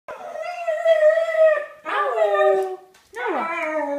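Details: Pet dog giving a drawn-out, tonal, howling whine in three sustained phrases: a long steady note, then a wavering one, then a short falling one, in a quiet room.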